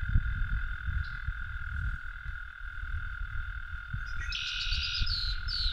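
An American toad gives a long, steady, musical trill on one sustained pitch.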